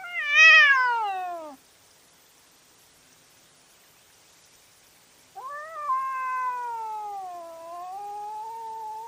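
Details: Cats fighting at night, caught on a trail camera: a loud, high, falling wail, then a pause, then a long, wavering, drawn-out yowl that slowly sags in pitch.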